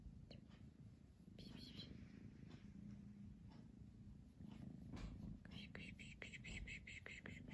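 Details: Pamuk, a pet cat caught between sleeping and playing, purrs in a steady low continuous rumble throughout, with soft breathy whispering and faint rustles joining in the second half.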